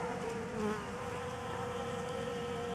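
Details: Honey bees working at a homemade pollen substitute: a steady, dense droning buzz of many wings, holding a fairly constant pitch with slight wavering tones and a brief swell in loudness, continuous for the whole stretch with no other clear sounds.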